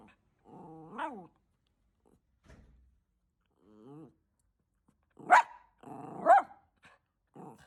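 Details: Bichon Frise guarding its owner from a repairman indoors: low, tonal growl-like whines with bending pitch at intervals, then two louder harsh barks close together, with a further brief growl at the end.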